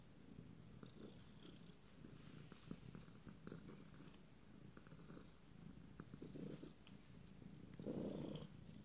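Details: Purring from 26-day-old Abyssinian kittens of a first litter, a continuous low throbbing pulse with brief louder swells near the end, light rustles and clicks around it.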